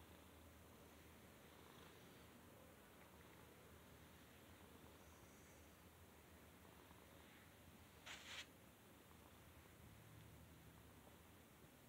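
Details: Domestic cat purring while being petted: a soft, steady low rumble runs throughout, with a short burst of rustling just past the eight-second mark.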